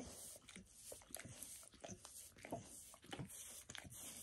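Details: A dog named Max licking indoors while giving himself a bath, working on his paws and a person's foot; wet, smacking clicks come in uneven bursts, roughly one to two per second, in a quiet small room.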